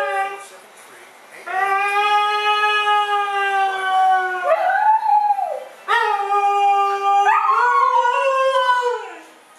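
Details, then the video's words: Two dogs vocalizing back and forth as if arguing: long, drawn-out tonal howls, steady then bending down at the ends, starting after a quiet opening second and coming in several overlapping phrases. "2 TALKING DOGS ARGUE"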